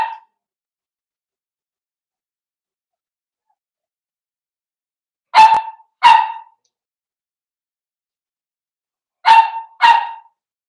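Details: Blenheim Cavalier King Charles Spaniels, five puppies born at New Year playing with their mother Paris in an indoor puppy pen; sharp, high yipping barks come in two quick pairs, several seconds apart, with silence between.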